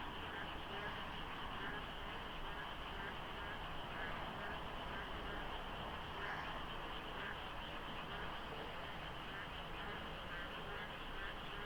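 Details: Monsoon-season dawn at the Deokso IC interchange, slight fog, few vehicles; an enormous frog chorus of layered, pulsing croaks, uncountable voices, with a steady low traffic drone beneath.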